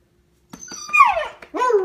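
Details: Young female Siberian Husky in her first year, at home: a short whining vocalization, a falling squeaky tone followed by a brief higher yelp, with a person's soft voice nearby.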